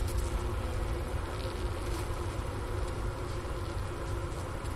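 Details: Inside a winter beehive on the Ohio State University Wooster campus, January 16, 2024, around 4 PM and 15°F outside: massed honey bees give a dense, continuous low buzz, recorded by a Sony ICD-PX370 near the inner-cover hole and a sugar brick's remains.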